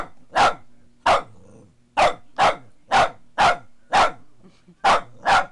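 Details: Boston Terrier, female, barking indoors at a foot massager she hates: loud sharp barks in an irregular series, nine barks in under six seconds, with a low motor hum underneath.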